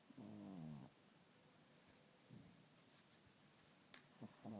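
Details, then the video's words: Richard, a sleeping cat, lets out a single rasping harmonic snore at the start, followed by soft snuffles and a few faint clicks, then another snore beginning at the end. "Кот Ричард храпит не по-детски!"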